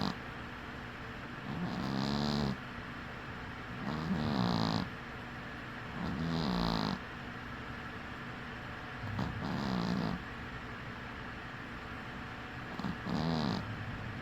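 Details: Winky, a dwarf cat napping with one eye open, produces five short rattling snores spaced two to three seconds apart, each a gravelly low buzz with a light whistling hiss, quiet otherwise.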